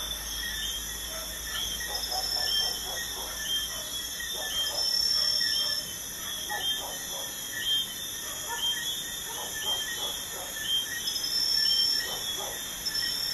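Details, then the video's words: Crickets heard at night near a busy highway give a constant high-pitched ringing trill. Bursts of short, quick, lower pulsed notes recur every few seconds, and a faint traffic hum runs beneath. "Crickets at night by a busy highway"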